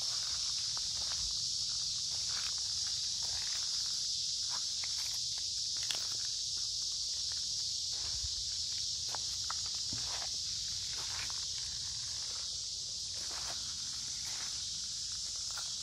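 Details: Many cicadas sing in woods beside a creek in midsummer on a warm, humid day: a dense, steady, high hiss runs without a break, while footsteps crunch and snap throughout during the walk.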